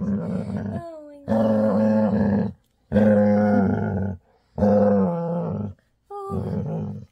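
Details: Before bedtime, a female Labrador retriever gives her loud happy growl in a small room: four long rumbling bursts of about a second each, separated by short silences, with a woman talking softly between them.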